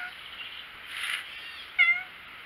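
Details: Male tabby domestic cat indoors with its owner: a single short, bright meow near the end, following soft human speech and a breathy rustle.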